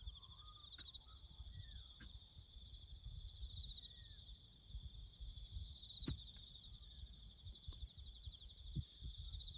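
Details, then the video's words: Bush crickets keep up a continuous high buzzing trill with a thin upper band during roadbuilding farm work, while low rumbling noise and a few short whistled bird calls come and go. "#crickets chirping"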